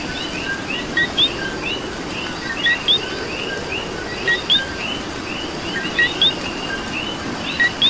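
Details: Coqui frogs calling in rain in Puerto Rico: a dense chorus of short two-note calls, a lower note then a sharp higher upswept chirp, repeating from several frogs at once over a steady patter of rain.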